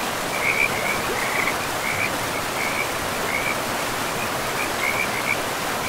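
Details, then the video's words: Beside a forest river, frogs repeat short, high trilled notes about every half second to a second, fairly evenly spaced, beneath a dense and steady wash of river noise. "River and Frogs sleep sounds"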